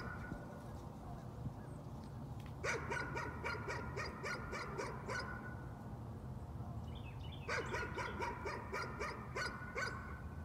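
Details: Nuisance barking: a dog gives two long volleys of fast, evenly spaced barks separated by a short lull, with a brief bird twitter between them and low ambient rumble throughout.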